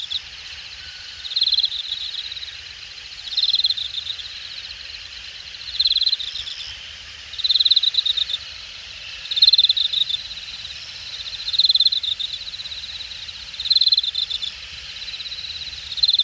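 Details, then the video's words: Late-summer grass insects calling from the grass at Jamwon, Hangang Park, Seoul area, Korea, in August 2021: short rasping pulse trains repeat roughly every two seconds, about eight bursts, each topped by a thin high buzz, over steady insect hiss. "늦여름, 풀섶에서 들려오는 풀벌레 소리"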